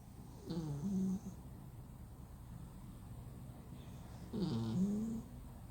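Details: Deeply sleeping flat-nosed male cat producing two loud, drawn-out snores nearly four seconds apart, each a rough nasal rasp that dips then rises in pitch, over a faint continuous hum.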